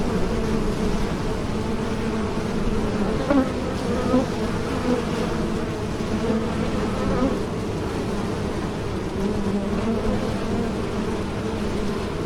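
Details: Bees flying, a steady low droning buzz with layered harmonic hum throughout, slight wavering in pitch and a few louder passes around the middle.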